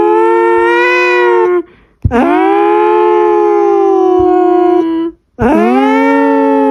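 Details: Pet house cat giving loud, siren-like howls: three prolonged, even, tonal wails, the middle one lasting nearly three seconds, with short gaps between them and no other sounds.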